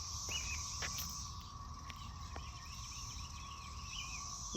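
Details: A continuous, shimmering high-pitched buzz from many cicadas, with scattered short bird chirps and a low outdoor rumble, where cicada molts litter the sidewalk under trees.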